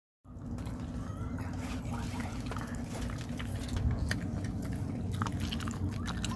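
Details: Dog eating rice cake: sticky, irregular chewing and biting clicks, several per second, over a steady low hum, with faint smacking noises throughout.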